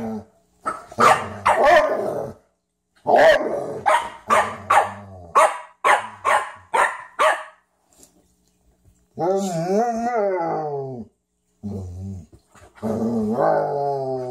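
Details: Frenchton and Rhodesian ridgeback meeting to play for the first time: a quick run of snappy barks, a silent stretch, then long wavering moan-like growls with a clear tonal, undulating quality.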